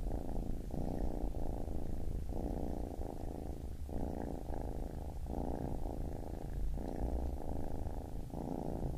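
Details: Soft, steady purring of a baby kitten, rumbling phases repeating about every second over quiet background hiss.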